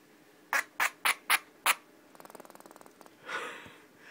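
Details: Pet squirrel named Pinky, indoors, barking out of nowhere after purring, seemingly upset: five loud, sharp barks about a third of a second apart, then a fast, soft pulsing rattle, followed by a brief human voice.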